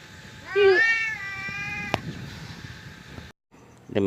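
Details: Cat in Berau, Indonesia, known locally as unjai, being called by name: one clear, brief meow followed by a long, sustained tonal call that fades out, a sharp click, a moment of silence, then another meow starting.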